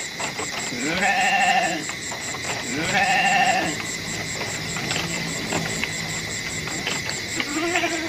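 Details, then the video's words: Goats bleating twice in quavering, nasal bursts about two seconds apart, with a quieter call closing the clip. Scattered knocking sounds and a steady high-pitched tone sit in the background. "SUARA KAMBING"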